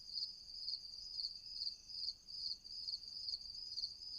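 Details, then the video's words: Crickets chirping at night: a steady high, even pulsing trill in rapid repeated bursts, about two per second, with a faint lower buzz and no other clear sounds. "Night Crickets, Night Ambience, Night Crickets sound effect"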